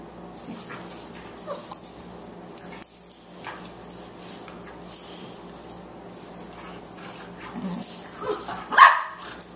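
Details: Two Boxers playing, a 14-week-old, 18-pound puppy named Margie and the older dog Lou; mostly quiet shuffling with soft grumbles, then a short moaning growl and one sharp high yip near the end.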